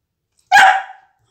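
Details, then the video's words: Dog trained to bark on command gives a single loud, sharp bark right after a spoken "speak" cue, with a man praising it as a good boy afterward. "Barking training"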